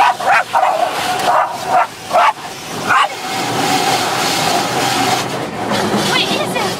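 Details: Chloe the dog barks at the car wash, giving about six sharp barks over the first three seconds before a steady hiss of spraying water and machinery takes over.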